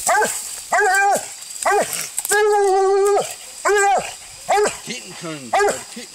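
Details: Coon-hunting Walker hound caught up in a fight, Android phone recording: choppy barks, one sustained bawl of nearly a second, more barks, then a few lower, wavering yelps near the end.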